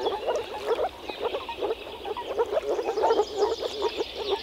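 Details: Chorus of male moor frogs in early spring at a forest pond where they gather to mate, croaking through vocal sacs; quick bursts of soft, bubbling low pulses tumbling over one another in rapid succession.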